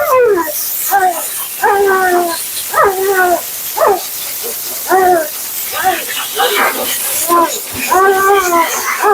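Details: Talkative Siberian Husky named Mila complaining through her bath and grooming: a steady run of short, bent, yodel-like yips and woos, each rising then dropping, repeated roughly every half second with brief gaps, hissing water spray behind.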